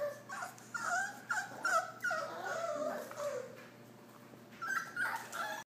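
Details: Puppies indoors in a small room, giving high, wavering whimpers and yips that rise and fall in pitch, several in quick bursts during the first three seconds, then a quieter pause before more whining near the end; faint clicks and room hum underneath.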